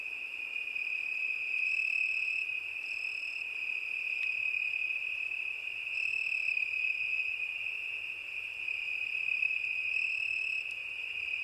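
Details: A cricket's steady, high-pitched continuous trill holds one unbroken tone, with brief brighter overtone bursts swelling near 2 and 6 seconds and again near 10 seconds. No other sounds intrude.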